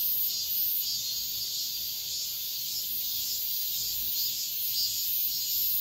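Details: Cicada song at dawn in midsummer, a sustained sizzling buzz high in pitch, gently throbbing in repeated pulses throughout.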